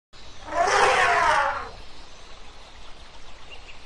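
An elephant gives a single loud, brassy trumpet blast lasting about a second.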